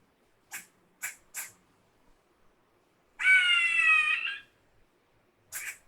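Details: A single squirrel screeching: a few sharp, clipped chucks, then a harsh, buzzy, harmonic screech of about one second that wavers slightly in pitch, followed by more short chucks near the end.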